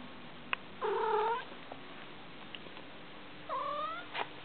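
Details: Domestic cat yawning, meowing and stretching before wandering off: two drawn-out harmonic meows, the first near one second and a shorter rising one near three and a half seconds, with faint clicks and a quiet room between.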